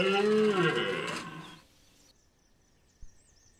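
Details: A red deer stag at Chambord, France, in September 2021 gives a loud, moaning rutting bellow, rich in harmonics and fading away.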